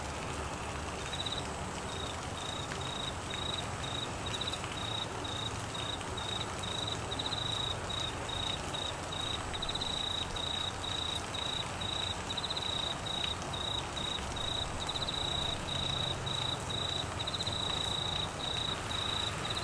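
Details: Crickets calling during Australian monsoon season rain in flooded Queensland: a steady, high, finely pulsed trill runs nearly unbroken across the whole stretch, riding above a dense hiss of heavy rainfall.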